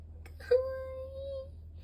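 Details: Dot, a long-haired rescue cat, gives a single drawn-out meow indoors, about one second long, held at a steady pitch with a slight lift near the end, preceded by a couple of soft clicks, over a low steady hum.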